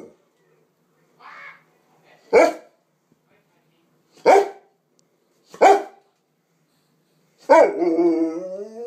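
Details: Presa Canario and Rottweiler cross dog, a young female, vocalizing: a soft low grumble, then sharp single barks about two seconds apart, ending in a drawn-out harmonic whine that slides downward.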